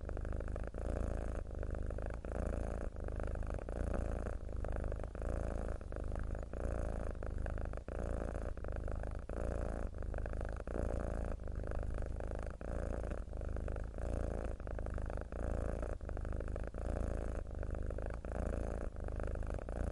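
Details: Mackerel tabby cat purring steadily, a deep vibrating rumble that rises and falls with each breath about every one to two seconds, close and unbroken, nothing else audible.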